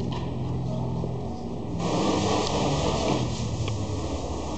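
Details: Low indoor rumble and fan-like hum with a brief shift in level, no animal voice audible.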